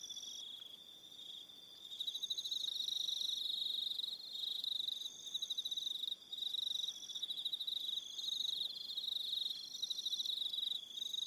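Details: On Aroha Island, New Zealand, evening crickets keep up a loud high trilling chorus; a softer opening swells after two seconds into dense, rapidly pulsed chirps from many overlapping insects.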